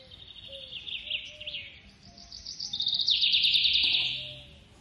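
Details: High-pitched pulsed squeaking from a baby squirrel at feeding time, short descending chirps building into a loud buzzy trill held for over a second before fading, over a faint background hum.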